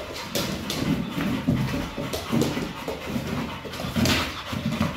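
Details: Pit bull panting while playing with a Pilates ball, a steady series of rough breathy pulses, roughly four to five per second, with soft thumps and rustling around it.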